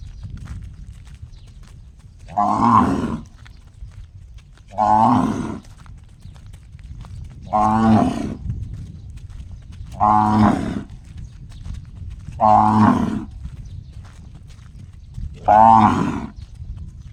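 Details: A cow gives six loud, resonant moos that sound strikingly like a gong. Each lasts about a second, and they come two to three seconds apart.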